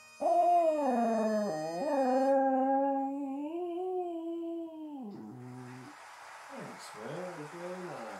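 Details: Border Terrier howling along to bagpipes, linked to the Edinburgh Tattoo: one long, wavering tonal howl that dips briefly and then holds, followed by lower, broken whining notes with a faint background hiss.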